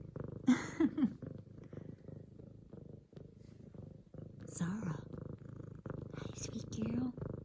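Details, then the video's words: Indoors, a female F2 Savannah cat kneads a leopard-print pillow, purring hard after her owner comes home from work; fast regular low purr pulses throughout, overlaid by a woman speaking affectionately in bursts. "F2 Savannah Cat Zara Making Some Serious Biscuits And Purring!"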